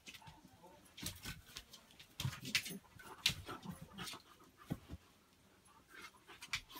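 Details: Beagle puppy and a Labrador alone in a hallway at a Christmas party; high, thin whimpers and soft yelps come in quick uneven bursts over shuffling movement noise.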